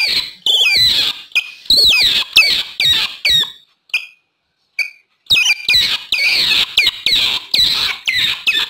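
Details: Otter chirps for luring wild otters: strings of high, wavering squeaks with quick pitch bends, a brief silence broken by two faint short peeps, then the rapid chirping resumes.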